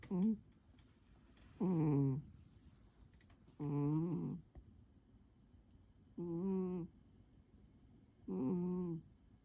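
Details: A house cat named Pon dozes curled on a chair beneath the table one quiet afternoon. Five short, voiced snoring breaths come roughly every two seconds, each a low humming tone with a slight waver. A few faint clicks sound in the room.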